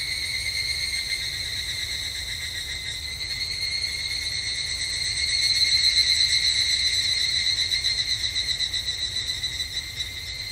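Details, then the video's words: Japanese summer temple grounds with an evening cicada calling: a fast, regularly pulsed ringing trill that swells midway and stays strong, tapering slightly at the close. "日本の夏～お寺とひぐらしの鳴き声Japanese Summer Temple and Evening Cicada"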